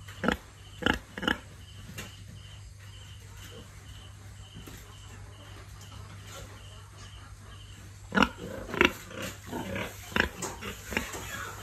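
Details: Farm-raised pigs in a big breeding barn give scattered short grunts, then a rapid cluster of snorting bursts near the end, all over a constant low droning hum.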